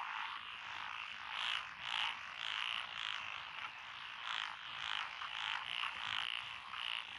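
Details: Frogs calling in lotus rice fields in Echizen, Fukui, Japan, June 2021. A shrill, buzzy chorus rises and falls in rough waves about twice a second, with brighter trilled notes repeating on top.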